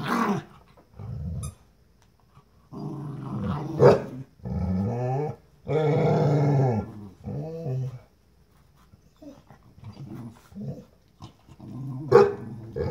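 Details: Two dogs, a Pitbull and a Jack Russell terrier, tussling over a new toy indoors: sustained low throaty growls lasting one to two seconds each, with brief pauses, an occasional whimper and sharp snaps.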